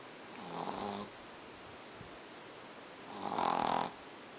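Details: A pet Pekingese snores, two raspy, breathy rumbles spaced about three seconds apart; he snores every night, and the owner suspects his flat face is the cause.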